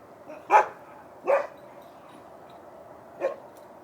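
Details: Next-door dogs barking on a Tuesday night, reported as a noise problem: three separate loud, sharp barks spaced about a second and then two seconds apart, with quiet between.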